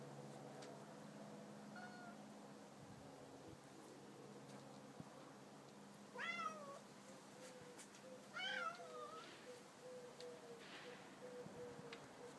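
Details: Two Bengal cats, Simba and Storm, 18 months old, indoors: two clear, drawn-out meows near six and eight seconds, each bending upward then sliding down, after a faint short mew early on, over a steady low hum.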